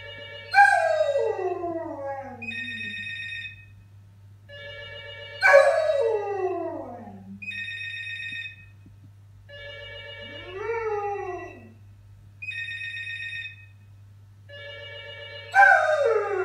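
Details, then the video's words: Old English Sheepdog singing along to a ringing phone: long wavering howls that slide downward, each answering a repeated electronic ringtone burst, about every five seconds, with a steady low hum underneath. "Old English Sheepdog singing along to phone ring"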